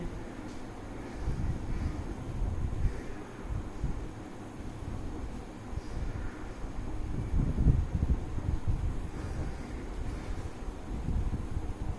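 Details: Low rumbling handling noise with soft thuds and shuffling, no animal voice heard.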